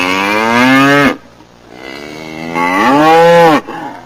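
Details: Cattle mooing loudly: two long, clear, harmonic moos, the second rising and then falling, with quieter background noise between them.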